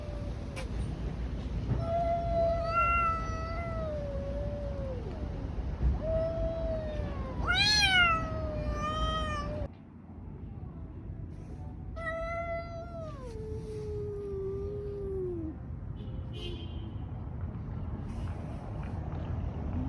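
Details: Street cats in a fight produce long wailing yowls that sag downward in pitch, one sudden harsh screech, then quieter drawn-out moans, with low rumbling noise throughout.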